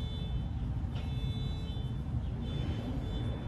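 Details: Steady low engine rumble like a running vehicle, with faint high tonal whines above.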